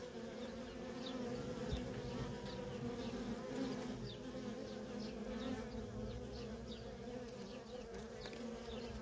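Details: Feral honey bee colony with nonstop worker traffic: a full, even droning buzz rich in low tones, slightly louder around the middle, with only faint distant bird notes above it.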